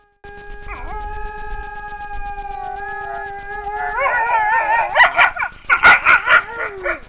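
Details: Grey wolf pair recorded by a camera trap near Frýdlant, Czech Republic, howling together at night. Smooth level howls run for four seconds, then break into a loud, rapid burst of yips and wavering barking cries.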